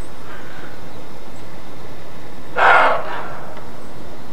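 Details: Roe deer giving its alarm bark ("Schrecken"): one loud, harsh, rasping bark lasting about half a second, with a faint trailing echo, against a constant low hiss.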